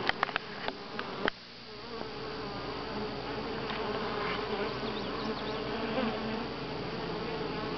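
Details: Honey bees at Grass Lake Sanctuary on July 25, 2011, week 6: a steady, dense buzzing hum with layered low tones that holds throughout, opening with a few sharp clicks and taps in the first second and a half.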